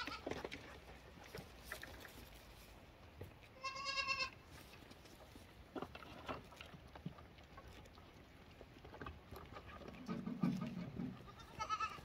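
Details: Lambs bleat; a lamb gives a short, high, wavering bleat over a low, noisy background.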